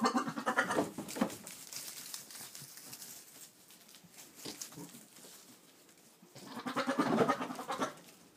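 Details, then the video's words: Boer buck calling to goats on 22 October 2013; two long harsh, vibrating bleats at the start and near seven seconds, separated by quieter breathy grunts and rustling. "our boer buck talking to goats"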